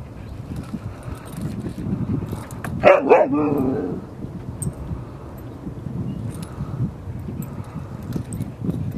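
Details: Dogs Rosy and Rocky playing at Seal Point Dog Park on the western side of San Francisco Bay, March 5, 2015; a quick pair of sharp barks lands near the three-second mark over a steady low background rumble.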